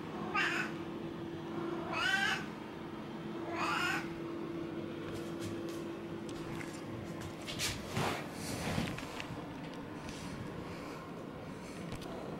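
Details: An affectionate pet cat walking on two legs and rubbing against its owner gives three short meows in the first four seconds, then rustling, handling noises and a steady low hum follow.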